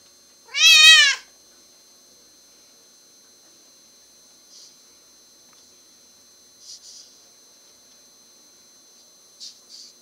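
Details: Deaf domestic cat, born deaf, very vocal and loud: one single loud, harmonic-rich meow rising then falling, lasting under a second, followed by near silence with a few faint soft clicks or rustles.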